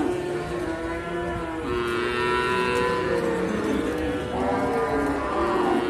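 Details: Cattle at the Sukorejo animal market in Kendal, Indonesia, among Simmental calves, heifers and breeding cows. Overlapping, wavering moos blend together over a constant hum of market noise.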